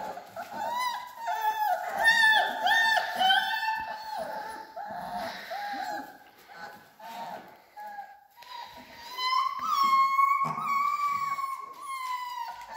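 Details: Alaskan Malamute puppies, three weeks old, whine in long, steady, high-pitched cries that rise and fall slightly, with overlapping squeaks from several pups and a brief pause midway.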